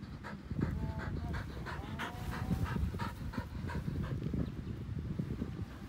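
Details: Pasepon, an old white Samoyed resting on a lawn, pants rapidly, short breathy bursts about every third of a second, over a low rumbling background with faint whistle-like tones.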